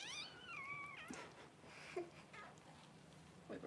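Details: Just-born Cavalier King Charles Spaniel puppy from Paris's first litter, indoors: one long, high, quavering cry dipping and levelling for a second, followed by soft rustling and small bumps.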